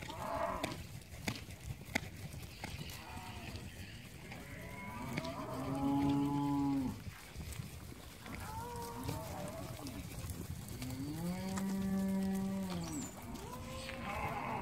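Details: Brangus steers, part of a group of thirty-eight, give two long droning moos, the first around six seconds and the second near twelve, each swelling and fading, with quieter lowing, shuffling and knocking noises between them.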